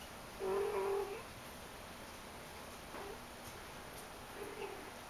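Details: Shaded golden Persian kitten named India, from the "I" litter, playing indoors: one clear, drawn-out, steady-pitched mew near the start, then a softer, shorter mew near the end, with quiet room hiss and faint rustling between.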